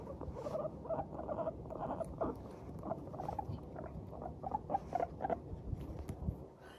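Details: Pet Teddy and Abyssinian guinea pigs in a cheerful mood chatter while walking briskly, giving rapid bursts of short, soft squeaky 'pupupu' notes in quick runs, with a low rumbling background throughout.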